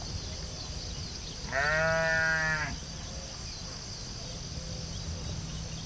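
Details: A sheep in a field gives one wavering, nasal bleat of about a second, loud against a steady background hiss and a low hum.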